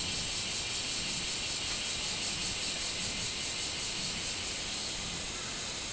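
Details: Minmin cicada heard 24 July 2016, a rapid, regular series of sharp high pulses, about two and a half per second, over a steady insect hum, trailing off near the end.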